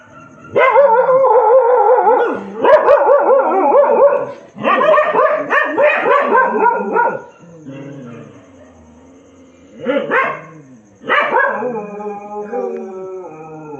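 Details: Dogs crying at night, a loud wavering howl with rising and falling whines broken into bursts, one call after another across the stretch, ending in a long drawn wail, with a faint steady hum behind.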